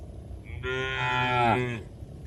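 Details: Tame cattle grazing fresh grass in a green oil palm plantation in Indonesia give a single drawn-out moo of about one second, rich in stacked harmonics, swelling then dipping slightly in pitch at the end before fading.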